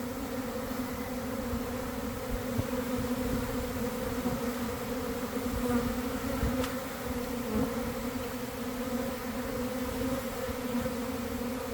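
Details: Honey bee swarm forming around one in the afternoon, in a garden beside a hive, after a week of cold damp weather: a dense, steady droning hum with strong low bands, unbroken and fairly even in loudness throughout.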